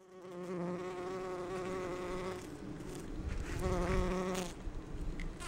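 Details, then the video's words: Bumblebee resembling Bombus ardens or Bombus ignitus gathering pollen on rhododendron flowers: a low, steady, richly harmonic droning hum for over two seconds, a short pause, then the hum returns about a second later, with faint rustling between. "ツツジの花を巡るハチ1 Bees gathering pollen on Rhododendron"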